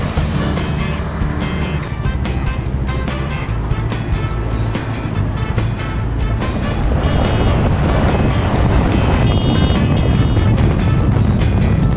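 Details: Loud music mixed with a continuous rumbling motor engine fills the whole stretch, with no animal calls heard.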